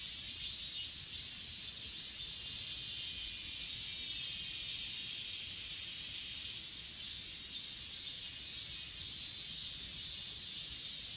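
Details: Achasan mountain grass insects chirp in overlapping high pulses, around two a second, irregular in rhythm, layered over a continuous thin hiss of more insects; filmed on an S20 Ultra.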